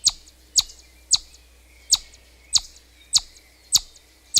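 A chipmunk gives sharp, high chips, repeated steadily about every half second.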